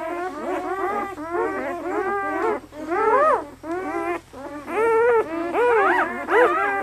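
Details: Eight red and black German Shepherd puppies, five males and three females, 48 hours old and lively at Seelenvoll German Shepherds in Maine, New England; overlapping high whimpers and squeals, each cry rising then falling, crowding one another almost without pause.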